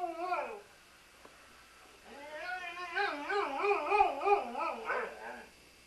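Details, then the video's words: Sam, a Welsh Springer Spaniel, singing: a short falling whine, then a long warbling howl that wavers up and down in pitch for about three seconds before fading. "Singin' Sam - Welsh Springer Spaniel"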